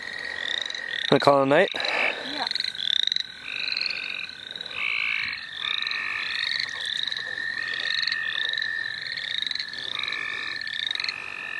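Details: In the St. Olaf College Natural Lands, a frog chorus heard while frogging: a short harmonic squawk opens, then overlapping rising peeps repeat rapidly over a constant high trill from many frogs.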